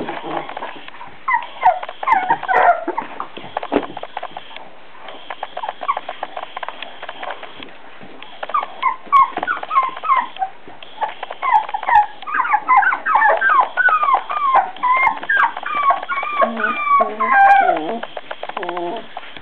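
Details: Beagle puppies at four weeks whimper and yip in quick, irregular strings, building to a busy stretch of overlapping high squeals toward the end, with a human voice heard faintly.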